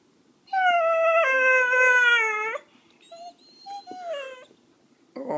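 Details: A puppy learning to bark on command produces a long, steady howling whine held for about two seconds, then shorter wavering yelps and whimpers, indoors in a small room.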